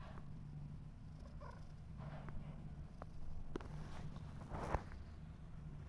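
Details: Mother cat with her kittens, which are trying to walk, purring as a steady low rumble throughout, with brief scratchy rustles and a few faint squeaks over it.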